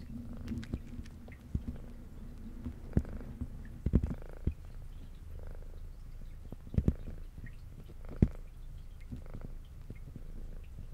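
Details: Indoor brown tabby cat with a white underside, a female, purrs as she eats. A continuous deep, throbbing purr runs under scattered crisp bites and clicks of chewing.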